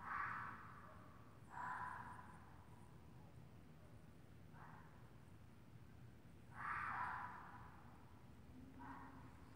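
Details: A red fox outside gives harsh, raspy screams in short bursts, a mating call repeated for about an hour.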